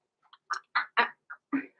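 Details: Blenheim Cavalier King Charles Spaniel puppies, six weeks old, born November 14, 2022, in a home puppy pen: a quick run of short, sharp yips, about six bursts in under two seconds, with silence between.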